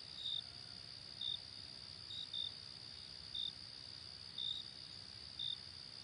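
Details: Crickets chirping by day, sharp high pulses at slightly uneven intervals, seven or so, one close double, above a continuous thin high drone.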